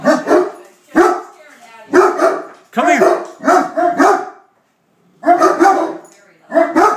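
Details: Great Dane in attack mode, going after a beer keg: deep, rough barks repeated about once a second with a short pause midway, while a man keeps calling the dog over and talking.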